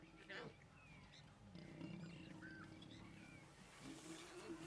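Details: Mating lions in Kruger National Park, South Africa, seen on safari: low, rough growling rumbles build from the middle of the clip, with soft human voices, faint whistled bird notes and vehicle noise behind.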